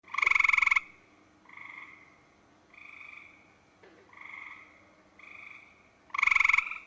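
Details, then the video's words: Frog calling at night: loud, nasal, buzzy croaks open and close the sequence, with softer, shorter notes between them. The calls come in steady succession, roughly every second, against a still background. "Frogs & Toads wide variety of sounds"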